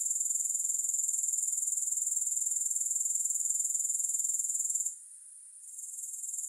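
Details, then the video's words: Grasshoppers keep up a continuous, very high, finely pulsed trill for nearly five seconds before the sound abruptly fades to near silence and creeps back; no music or other sounds. "3 Hours of Grass Hopper Sounds"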